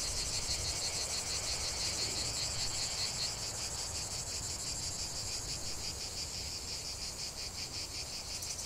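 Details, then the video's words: Chorus of cicadas in a natural setting, high harsh buzzing with a rhythmic throbbing pulse that shifts slightly midway, loudness steady then gently easing toward the end. "45 min de chant des cigales"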